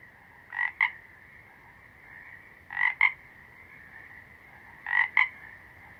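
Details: Toad calling: three short double-note croaks, each a nasal bleat followed by a sharper click, spaced roughly two seconds apart over a steady high background hum.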